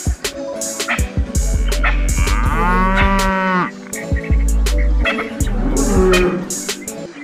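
A cow lets out a drawn-out, deep moo, rich and nasal, that rises, holds, then fades. Low droning tones, possibly background music, run underneath, with a few sharp knocks around it.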